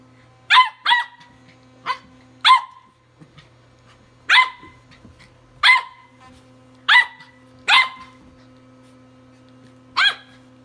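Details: Tri-colour Welsh Corgi puppy barking while battling an electric toothbrush: sharp, high yaps, about nine over ten seconds in uneven bursts, over a steady low motor hum.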